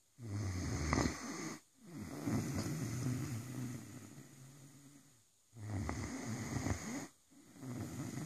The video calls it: Rosco the Great dane snoring 😄